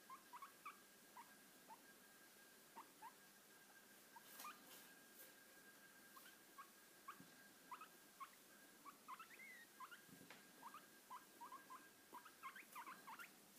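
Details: Pet guinea pig during lap time giving a rapid string of short, high, rising squeaky wheeks, many per second in irregular bursts, with soft rustling and a faint steady hum behind.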